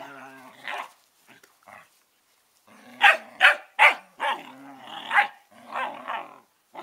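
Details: Norris and Amica, 11-week-old Collies, trade quick high barks and throaty growls: a quiet opening grumble, then a rapid volley of about seven sharp yaps mixed with rough growling.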